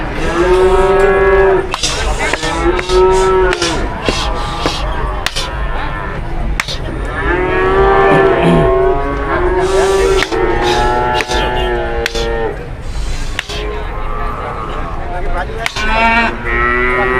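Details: Cattle at a busy livestock market, many animals mooing in overlapping, drawn-out, level calls every second or two, with sharp clicks and knocks and a murmur of people in the background.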